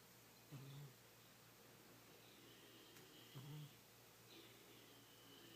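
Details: Kitty, an old fat male house cat, sleeping soundly and dreaming, lets out two short, low, rasping snores about three seconds apart in a quiet indoor room with faint background hiss.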